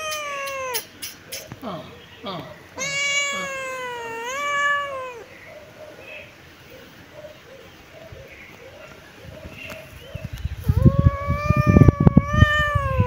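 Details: ['Sunbathing kitten in its favourite place gives several long, harmonic meows, one stretching over two seconds with a slight rise then fall, plus short mews, quiet chirps and rustling, crackling noise near the end.']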